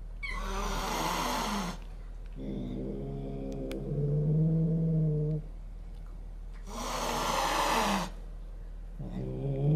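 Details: Two cats meet for the first time: the resident cat and a new kitten threaten each other. Two long, breathy hisses frame a sustained low, rumbling growl that swells and fades, with a further growl starting at the end.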